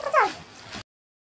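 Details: Cat on a rainy day, recorded 20 September 2018, gives one brief meow that starts high and slides quickly downward, followed by a soft, steady background hiss.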